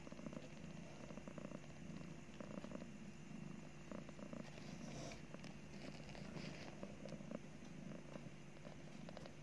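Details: Mother cat nursing two newborn kittens right after giving birth, purring continuously; a steady low rumbling purr throughout with a faint hiss of background noise.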